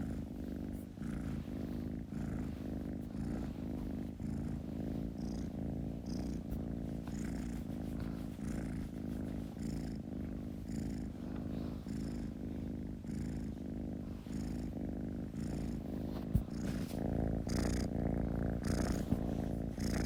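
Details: Kitten purring close up, a dense low rumble with quicker breath pulses, around two per second, growing slightly louder toward the end.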